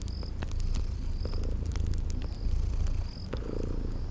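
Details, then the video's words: Gentle rumbling purr from sleeping kitties by a crackling fireplace; soft pulses in the purr, scattered fire pops and a few high insect chirps. "Relax with Cute Sleeping Purring Kitties"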